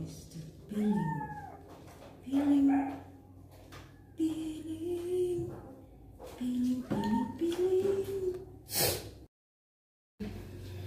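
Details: Young male kitten during his first bath as his wounds are cleaned, giving short plaintive meows, some rising then dipping, roughly five in ten seconds, with a sharp splash or clatter near the end and a quiet room behind.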